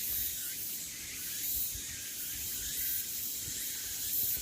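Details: Summer cicada chorus on Deogeumsan Solbaram trail, Namwon, Korea, 16 August 2019: continuous shrill buzzing that swells and fades gently every second or so, with no other clear sounds.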